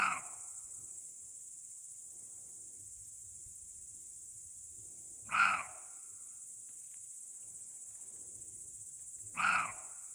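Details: A roe deer in a forest gives short, harsh, dog-like barks every four to five seconds over steady insect hum.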